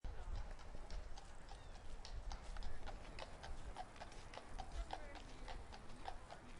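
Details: Horse in Central Park, hooves clip-clopping in a steady quick rhythm of several strikes per second over a constant low rumble of city traffic.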